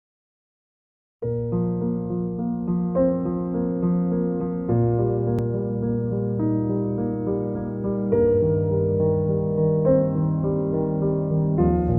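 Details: Brief silence, then soft electric piano music with layered sustained chords runs to the end, with no animal sounds.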